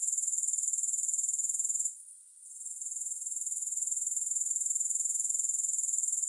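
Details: Very high, steady pulsed buzzing of grasshoppers, roughly four pulses per second, breaking off for about half a second around the two-second point and then fading back in. No music or voices.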